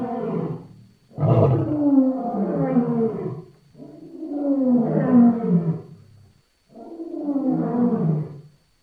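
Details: Lion: four long, groaning, harmonic calls, each lasting two to three seconds and wavering, separated by short pauses.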